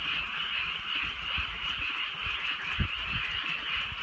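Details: Many frogs croak together through a rainy rural night, a thick steady trilling chorus without gaps, accompanied by drizzle and a few dull low knocks.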